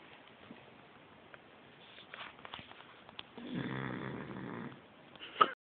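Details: Sleeping female beagle snores quietly at first, with faint breaths, then gives one longer, louder, throaty snore of a second or so near the end, followed by a short sharp sound.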